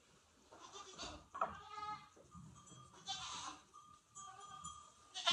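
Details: Goats in a barn at night in a snowstorm, calling while waiting for grain during evening chores: a couple of quavering bleats among clanks, rustles and a faint steady tone.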